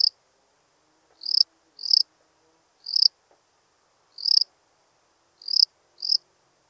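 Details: Lesser field-cricket from Breitenbrunn, Austria, 23 May 2021. Six clean, high-pitched chirps each swell quickly to a peak and stop abruptly. They are spaced about one second apart, sometimes paired closer together. Faint low background rustle is audible.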